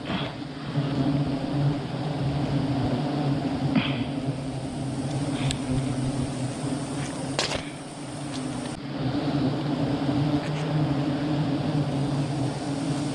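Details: A steady, low droning hum of many honey bees at a large hive during a honey harvest, with a man talking.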